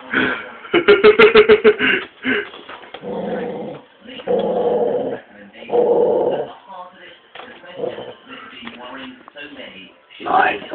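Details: A Staffordshire bull terrier cross pit bull that won't give up his massive bone growls to guard it, while a person talks nearby.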